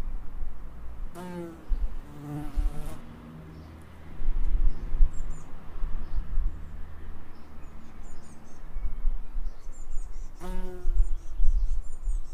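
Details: Bees in an Edinburgh suburb: buzzy, droning flyby passes near 1, 2.5 and 10.5 seconds, each rising and fading, with low wind-like rumble filling the gaps between them.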